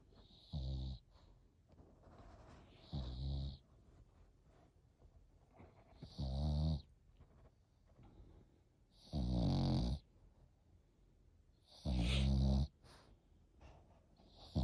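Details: Snoring from an eight-month-old Frenchie puppy, five loud, throaty rasping snores spaced roughly every three seconds, each lasting under a second, with faint breathing in the quiet gaps.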